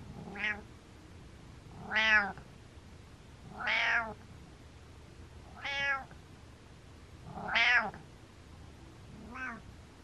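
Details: Butters, a happy male pet cat, gives six short, bright mreh meows that rise and fall, spaced roughly every 1.7 seconds, in a quiet indoor room.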